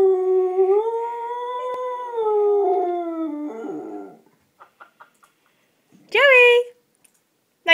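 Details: Dog howling on the phone: a long, steady tonal howl that rises slightly and then falls over about four seconds, followed by a few soft clicks and a short, bright rising yelp; a person urges it to talk.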